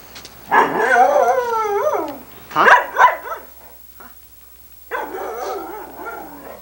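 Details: Irish Setter Sunny, a chatty female recorded on VHS in 1987, vocalises as her owner walks away: three bursts of warbling, howl-like moans with bending pitch, the middle one two sharp yips, separated by short pauses.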